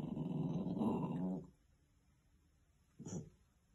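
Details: A puppy named Thistle growls low and rumbling for over a second, then gives a short sharp yip, at her own reflection in a mirror, apparently taking it for a stranger; dog growl.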